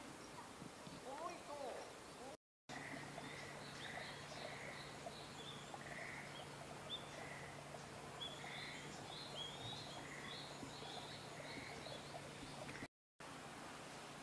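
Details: Schlegel's green tree frogs call in spring, 10 April 2021, at Showa Kinen Park, giving short, rolling, chuckling notes repeated steadily over a low hum.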